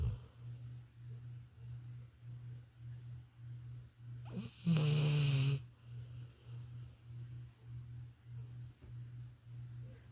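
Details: Labrador Retriever named Violet sleeping indoors, snoring with a low rhythmic rumble repeated steadily about every half second, broken midway by one louder, longer snorting breath with a brief rustle.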